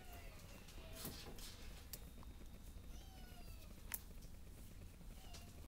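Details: Shelter cat named JuJu Bee meowing indoors: several thin, drawn-out meows with faint harmonics, some falling in pitch, heard over a steady low hum and a sharp click near the end.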